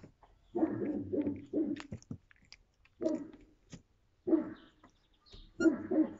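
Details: Yakutian Laika dog recorded in April 2023, giving short, throaty, wavering vocal bursts in uneven groups of two or three, separated by brief silences, with faint clicks between.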